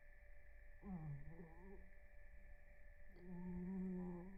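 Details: Blue, a rescued cat napping during REM sleep, snores softly. Two drawn-out, humming, tonal snores, each about a second long and slightly wavering in pitch, are separated by a short quiet gap, with a faint steady background tone indoors.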